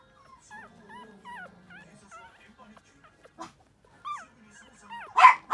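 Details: Lively male Toy Poodle puppy whining in a rapid string of short rising-and-falling whimpers, about three per second, ending in a loud bark.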